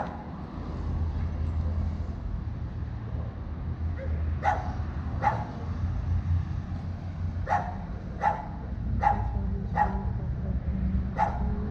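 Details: Chow Chow named Capacete, a dog that only wanted to pee, gives about eight short, sharp barks in an uneven series over the second half, above a steady low traffic rumble.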